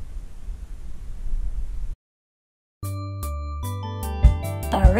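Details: Low rumbling background noise for about two seconds, a short silence, then bright chiming music with bell-like ringing tones and a few louder strikes near the end.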